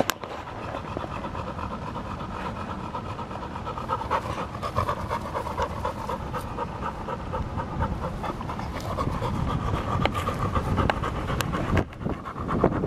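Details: Field-type Labrador Retriever playing with a ball, panting steadily and rapidly throughout, breaths in a broad rasping band with occasional sharp clicks and knocks, low rumbling background noise.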